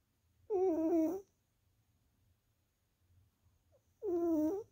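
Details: A female tuxedo cat napping snores in two drawn-out, wavering nasal tones about three and a half seconds apart, with a faint low rumble between breaths and songbirds singing in the background, 3/7/2023.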